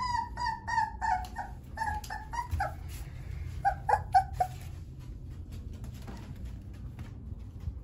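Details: Three-week-old Dogo Argentino puppies giving a rapid run of short, mid-pitched yelping whimpers, about four per second for several seconds, then fading into quiet indoor background hum.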